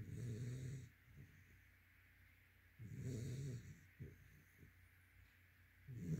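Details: A sleeping yellow-white Labrador Retriever snoring: deep, rumbling breathy snores that come roughly every three seconds, each about a second long, with quiet breathing between them.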